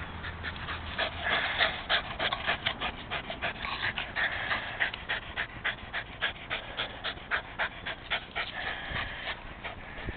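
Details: Panting of Jack, a Rat Terrier rescue, during an energetic game of fetch: fast, fairly steady breathy pulses about three a second, each a short airy burst, continuing throughout.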